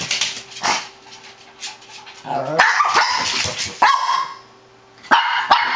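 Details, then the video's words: Shih Tzu barking excitedly, with Niki and Lota named, in a series of sharp, irregular bursts: a few quick yaps, then louder clustered barks and short yips near the end, with some fainter sounds between the barks. "shih tzu crazy barking"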